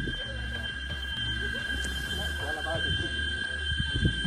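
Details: Cicadas hold a steady, high electric whine while a man talks over it, about halfway along a hiking trail to the Peñón de Comasagua, La Libertad, El Salvador, amid varied vegetation.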